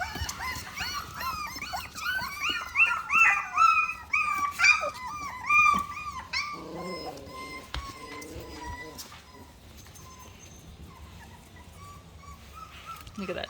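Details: Miniature Australian Shepherd puppies, 4.5 weeks old, complaining indoors: high whistled whines and yelps with harmonics, several voices overlapping in the first half, then fading to quieter scattered whines; music and a woman's voice in the background.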